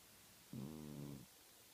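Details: A domestic cat snoring in its sleep, twitching as it dozes; one steady, low, buzzy snore with rich harmonics lasting under a second, set against a quiet indoor background.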